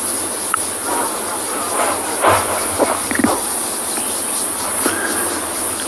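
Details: Cicadas sing in the trees at sunset on 11 February 2022 on safari, a steady, shrill, very high unbroken buzz, with soft low emerald-spotted wood dove coos and faint clicks beneath.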